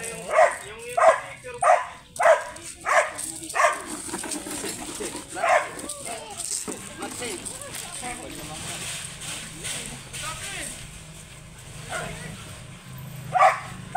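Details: Belgian Malinois with a grey sable coat, at Bisal, Manaoag, Pangasinan for stud service. A quick series of barks opens, then they thin out to scattered woofs and a long quiet stretch, with one last bark at the end.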